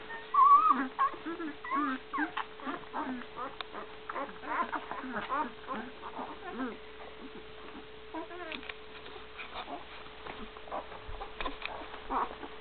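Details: Great Dane puppies, one week old, in a litter with their mother, recorded in 2012. The puppies make many short, high, wavering squeaks and whimpers in quick succession, overlapping one another, while a person speaks quietly and a steady hum runs underneath.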